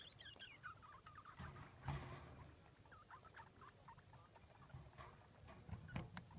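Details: Baby degus (Octodon degus), wriggling on a hot-water bottle, give rapid, high, chirpy squeaks over low rustling and handling noise.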